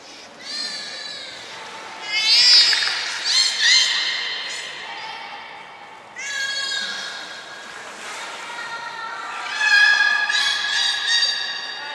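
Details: Belugas Hodoi, Taanya and Mirai in training at Port of Nagoya Public Aquarium, 1 November 2020; several rich, nasal, bleating squeals in three bursts, some sliding slightly upward, over faint background hiss.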